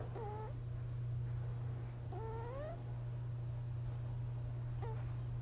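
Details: Sleeping five-month-old kitten, worn out and curled up beside its littermate sister, snores with thin whistled squeaks, some rising and drawn out, spaced about two seconds apart, beneath a constant low droning hum.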